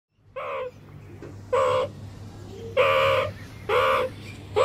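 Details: Meerkat moans: five short, nasal, harmonic calls, each under half a second, with steady pitch, repeated roughly every second over a faint low hum.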